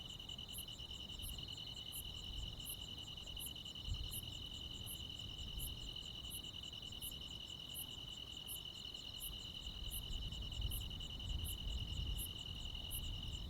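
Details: Midsummer-night countryside crickets and other insects in rural Korea keep up a continuous shrill trill, topped by evenly spaced high clicks roughly three per second, over faint low background noise.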